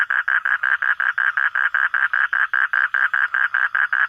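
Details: Frog calling at night, found while searching for frogs after dark: a loud, rapid series of short pulsed notes centred mid-pitch, about five per second, steady and evenly spaced throughout, with faint background hum.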